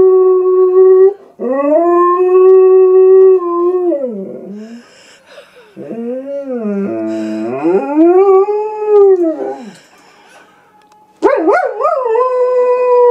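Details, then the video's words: German Shepherd Silva sings along to an animal appearing on TV, giving a string of long howls that arch up and down in pitch, some held level, with short gaps between phrases and a high wavering yelp near the end. "our nutty German Shepherd sings an Operatic aria !"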